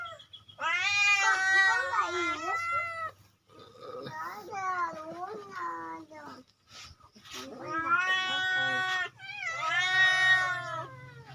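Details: Free-roaming village cat being fed rice with pellets and omelette, giving long loud harmonic meows in four bursts, rising then falling, with brief pauses between; a person talks nearby.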